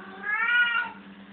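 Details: Cat playing indoors in a room gives a single drawn-out meow, tonal and rich in harmonics, rising slightly then falling over about a second, over a steady low hum.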